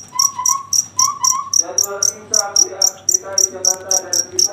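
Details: Cricket chirping at night: sharp, high, ticking pulses about four per second, steady throughout, with whistled bird-like notes early on and a stacked, drawn-out animal call in the middle range later.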